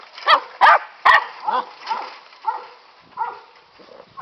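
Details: Catahoula pups at play on a farm, nine and seven weeks old: three sharp, loud barks in quick succession, then softer, yelping yips and whines spaced about half a second apart.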